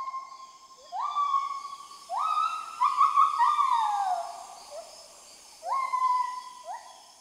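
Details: At sunrise in the Mekong valley of Laos, an adult male white-handed (lar) gibbon sings loud, pure hooting notes that swoop upward and hold in a rolling series, marking a new day and audible up to 7 km away.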